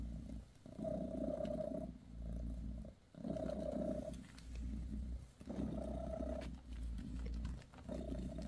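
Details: Bassy, a mother cat, purrs over her kittens as she massages them; a deep, rhythmic purr rising and falling with each breath, about four cycles broken by brief quiet gaps.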